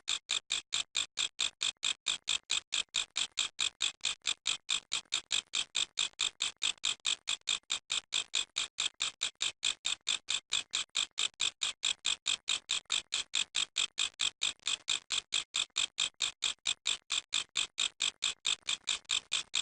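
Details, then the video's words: Long, steady run of grasshopper noise: dozens of brief, buzzy, high rasps ticking along at about four to five per second, uniform in loudness and spacing, on an otherwise quiet background. "How Grass Hoper Making Noise"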